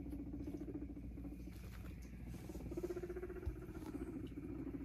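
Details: Guinea pig kept as a pet, with a cardboard box offered as a hidey house or play box; a low, rapidly pulsed purring rumble runs steadily through most of the clip, with soft rustling and pattering in the background.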